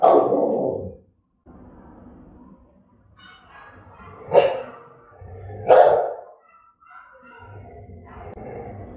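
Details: Rottweiler of German type, Vietnam, barking aggressively and threateningly: an opening harsh bark, low rumbling, then two explosive barks about a second and a half apart, followed by softer muffled vocal noise.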